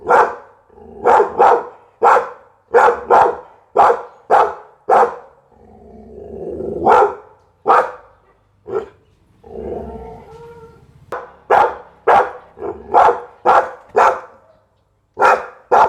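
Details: Pit Bull giving forceful, rapid barks in runs of several, broken by softer rumbling, growl-like stretches midway before the barking resumes at a steady pace.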